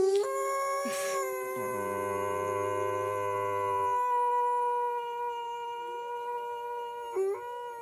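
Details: Loud, sustained dog howl in a small room: one long harmonic wail that holds a near-constant pitch for several seconds, with a rougher, lower buzzing layer early on and a short pitch dip near the end.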